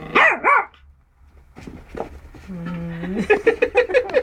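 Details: Yorkshire Terrier barking at its first meeting with a rabbit: two sharp high barks, a pause, then a rapid run of short yapping barks, with a person's voice faintly underneath.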